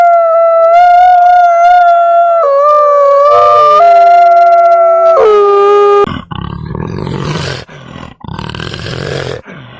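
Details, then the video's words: Wolf howls for about six seconds: sustained, smooth tones overlap and step down in pitch in places. They are followed by several bursts of harsh, broadband rumbling noise. "Animal sounds around us, animals:wolf"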